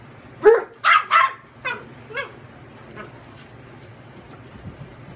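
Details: A Chihuahua playing on a bed with a larger Great Dane shepherd mix gives a quick run of sharp, high-pitched yapping barks while nibbling at him and lunging in play.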